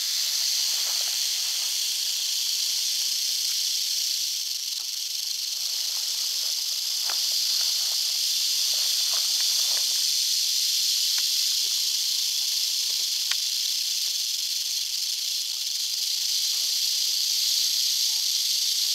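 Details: Eastern diamondback rattlesnake in North Florida, giving a steady, high, hissing buzz that runs unbroken for the whole stretch, with faint scattered clicks and rustles beneath.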